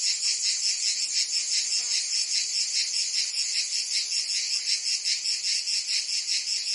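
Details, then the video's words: Provence summer soundscape of cicadas, France: a relentless high buzzing chorus with quick pulsing beats, dense and even, a faint brief trace of another sound near the middle. "Cicadas singing in France (Provence)"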